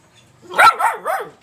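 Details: Black Labrador Retriever puppy Tom Tom, aged two to seven months, giving one loud bark followed by two softer, falling yelps.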